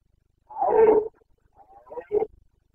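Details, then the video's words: Carpathian red deer stag roaring during the breeding season in Bucovina, 29 September 2022: one loud, hoarse, drawn-out bellow of about half a second, then a quieter broken grunt and a short final bark, with silence around. "Boncănit / Carpathian stag Breeding season"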